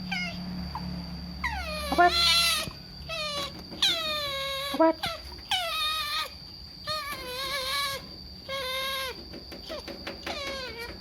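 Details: Food-begging otter letting out repeated drawn-out, wavering screams with rich overtones, each falling in pitch, separated by short pauses; a thin steady high tone runs throughout.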